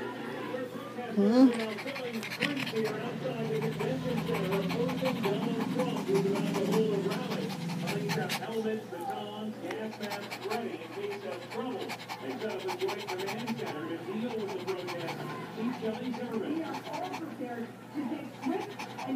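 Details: Female Shih Tzu upset by the rain, panting in fast, steady breaths throughout while a person talks to her soothingly, telling her to settle down.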